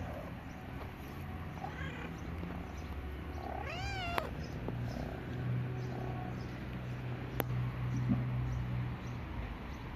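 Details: Gray kitten with a white cat, both strays and friends; one clear arching meow sounds around four seconds in, with a few faint softer calls and a sharp click over a steady low background hum.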